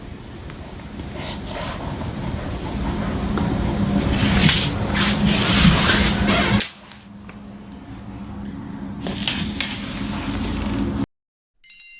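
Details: Indoor room noise with a steady low hum, a few short hissy bursts and faint voices, then a brief silence. No clear animal call stands out.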